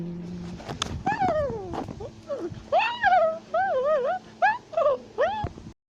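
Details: Tufted capuchin monkey in South America, shouting and chattering as it climbs a tree. Brief thumps give way to a string of bouncing, wavering squeals, each about half a second long, separated by short pauses.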